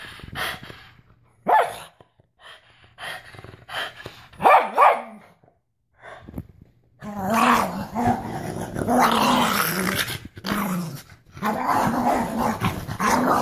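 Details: Pug acting crazy after bath time, excited from getting wet; a few short yips early, then a long stretch of dense growling and rough barking with a low throaty buzz, broken by brief pauses.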